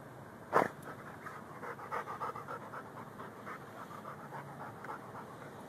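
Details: Rhodesian Ridgeback and Bull Mastiff mix dog digging for a pocket gopher, filmed on a Samsung Galaxy S3 phone; a sharp knock early on, then soft rapid panting breaths continuing steadily to the end.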